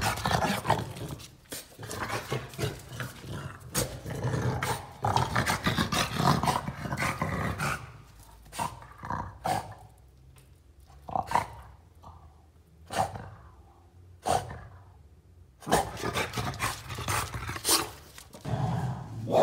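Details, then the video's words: French Bulldog reacting after seeing a cow: rough, harsh growls and gruff barking bursts, loud in the first seven seconds, quieter and broken in the middle, then loud again near the end, over heavy broadband noise. "French bulldog saw a cow"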